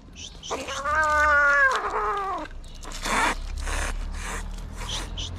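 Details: Angry street kitten in Morocco fighting and refusing treatment; one long, loud, strained meow lasting over a second with a steady tone that bends downward at the end, followed by rustling and handling noises.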